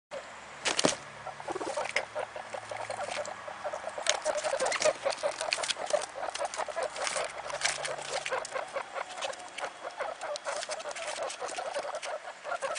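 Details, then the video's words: Three one-day-old guinea pig pups, Mini Yak x Rex cross, born to their mother Sheba: rapid strings of short squeaky pulses repeating steadily, mixed with frequent rustling and handling clicks. "New Born guinea pig babies"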